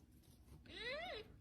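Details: Domestic cat praised as a good mama while taking in a baby animal indoors; a single meow, rising then dipping near the end and lasting about half a second, over quiet room noise.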